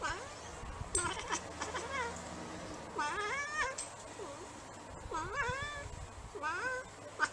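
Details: Bengal cats and kittens indoors: repeated insistent meows roughly every second, each sliding up then down, some paired, with faint background voices and room noise.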